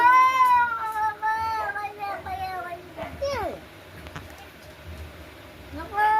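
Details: Fighting cats trade drawn, harmonic yowls that slide slowly downward, followed by a lull with quiet murmuring voices and a rising wail at the end.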